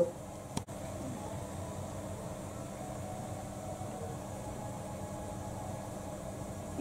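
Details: Quiet indoor hum with a fan-like hiss and one brief knock near the start; no animal voice.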